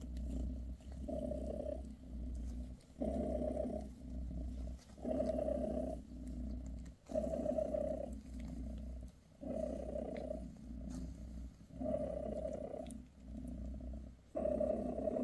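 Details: Purring mother cat Bassy, a British shorthair, massaging her kittens; the low rumble swells and fades in regular pulses about every two seconds, each breath cycle clearly separated, over a steady low hum.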